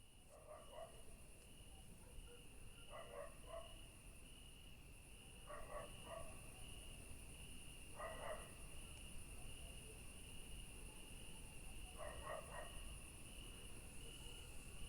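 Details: Crickets keep up a steady, high, unbroken trill at night in a garden among yellow flowers, with a dog barking in the distance.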